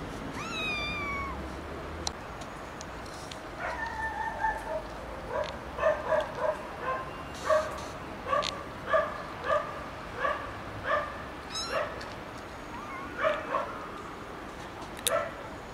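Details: A cat opens with a rising, clear meow, then gives a long run of short, chirpy mews repeated roughly every half second to second, steady and insistent, with faint household noise behind.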